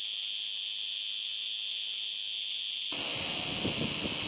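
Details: A cicada sings with a constant high-pitched droning buzz, unchanged for most of the recording; near the end the tone shifts slightly and low rumbling background noise joins.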